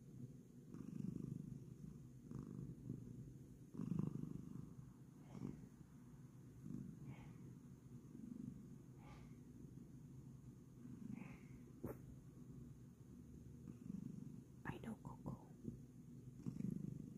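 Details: Bengal cat at bedtime, making biscuits, purring continuously: a low, even rumble with slow rises and falls in loudness, plus a few soft clicks and rustles.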